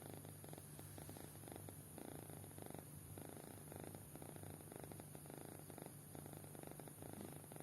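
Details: Kitten fast asleep, snoring with regular raspy breaths in short pulsed bursts, each roughly half a second, over a constant low background hum indoors.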